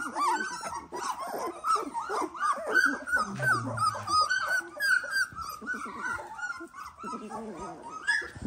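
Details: Litter of 18-day-old Dalmatian puppies squealing together, overlapping high whiny cries rising and falling rapidly and almost continuously, with a dense chorus of thin squeaks throughout.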